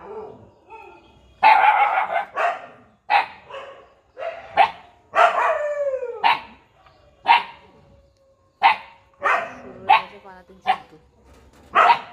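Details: Puppy giving short, high yapping barks and whiny squeals in irregular bursts, some rising and falling, with a quiet steady tone in the background.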